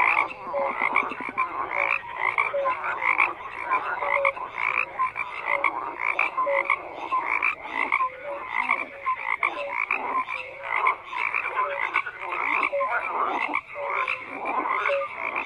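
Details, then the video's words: Dense chorus of many frogs croaking without pause, overlapping rasping calls layered with short tonal notes, a steady wall of sound throughout. "FROGS CROAKING"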